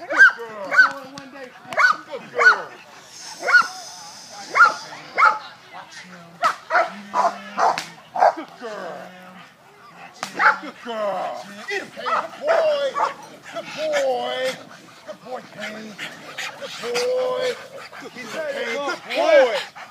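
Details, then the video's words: Working Italian Mastiff, Kane, pulling a handler: evenly spaced heavy barks open the stretch, then give way to shouting and talking from people, with occasional further dog sounds amid the voices. "Italian Mastiff Working"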